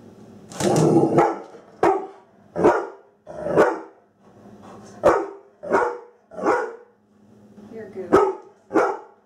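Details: Playful female Labrador Retriever in a kitchen, pretending to be tough toward a frightening object. Delivers roughly ten deep, punchy barks, each about a second apart, rising and falling in loudness, with little other sound.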